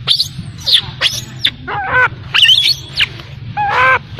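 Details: Abandoned infant macaque crying: piercing upward-sweeping shrieks alternating with wavering harmonic whimpers, loud and rapid, with a faint low rumble in the background.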